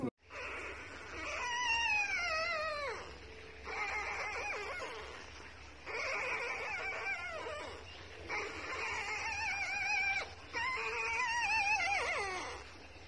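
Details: Beagle puppy giving long, drawn-out whining howls. Each falls in pitch and carries rich harmonics. They come in five bouts of about two seconds each, separated by short pauses, over a steady low hum.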